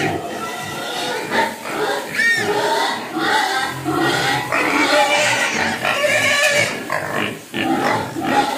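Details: Hungry pigs crying for food, several squealing together in loud overlapping harsh screams, some rising and falling, with brief dips between bursts and a person's voice nearby.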